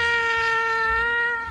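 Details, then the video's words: A cat holds a sustained, even-pitched meow for about a second and a half, steady throughout and tapering slightly at the end, in a quiet indoor setting. "cats meowing kittens cats singing"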